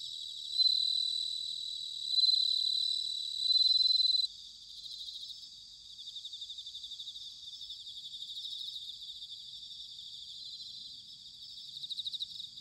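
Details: Bell crickets singing in autumn in Sanuki, Chiba, Japan: three loud ringing phrases of about a second each open the passage, followed by a softer, continuous field of high pulsed chirping from many insects.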